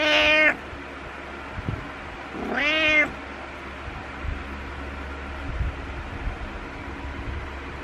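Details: Pet cat calling in the morning to wake its owner, giving two loud, strained, harmonic meows about two seconds apart, followed by quiet room noise and faint rustling.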